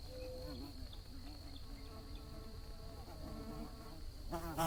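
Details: Low buzzing of bees that wavers gently in pitch, with several overlapping hums. At the very end, a loud, close buzz sweeps in. A faint steady high whine sits in the background.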